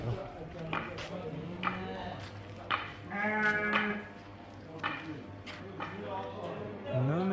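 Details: Sheep, ewes and rams offered for sale at a livestock market, giving several short wavering bleats scattered among steady talk from traders and a low engine-like hum.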